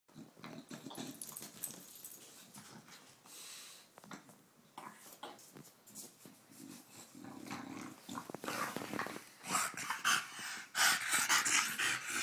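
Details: Phoebe, a British Bulldog in Australia, playfully sparring with a cow: rough, snorting growls come in uneven bursts, mixed with scuffling and sharp hissy breaths that grow louder toward the end.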